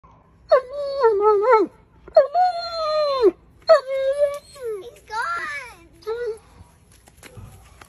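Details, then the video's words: Male German Shepherd indoors whining after a female dog walked past: a run of five or six wavering, tonal whines, each sliding up and down in pitch, separated by short pauses over about six seconds. "German Shepherd whines after seeing female dog"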